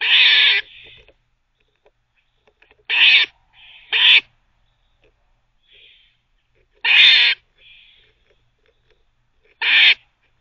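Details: Barking squirrel, a pet busy teething, gives loud harsh barks about every two to three seconds, irregularly spaced, with soft squeaky notes trailing some of them.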